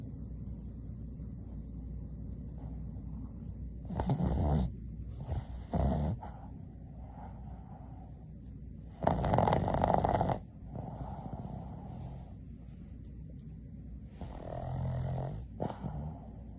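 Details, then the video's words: A female Boston terrier snoring while napping: rough, noisy snore bursts come at uneven intervals, with quieter low breathing rumble between them. "BOSTON TERRIER SNORES"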